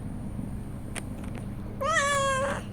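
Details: Pregnant domestic cat preparing for her kittens gives one clear, drawn-out meow that starts high and slides gently down, after a stretch of steady low hum.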